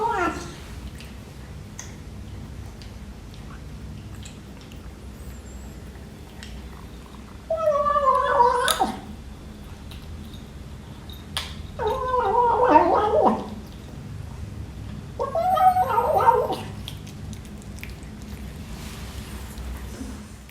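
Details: A British Shorthair kitten, 12 weeks old, meows over breakfast indoors: after a quiet start come three wavering mews, each about a second long and a few seconds apart, with soft eating clicks around them.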